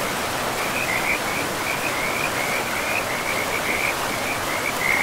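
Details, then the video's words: Frogs in a pristine forest beside a river give a steady chorus of short, bright trilled notes, one after another, over a constant broad rush of flowing water. "River and Frogs sleep sounds"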